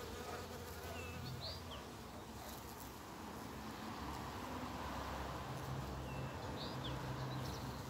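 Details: Early-spring bumblebee among snowdrops and primroses, giving a continuous deep humming drone whose pitch wavers slightly as it flies, while short, sharp bird calls ring out now and then overhead.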